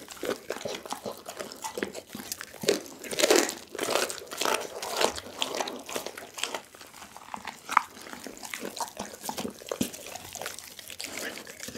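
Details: Pit bull Doggy crunching through raw chicken and bone, close ASMR recording: rapid bites near two per second, loud cracks around three seconds in, wet mastication throughout.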